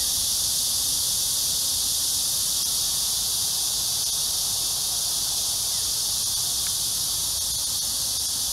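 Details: A steady, high-pitched cicada drone, a dense continuous buzzing chorus, on a hot summer early evening (6–7 PM, July 26, 2021) at Amsa Ecological Park on the Han Riverside, Seoul, South Korea.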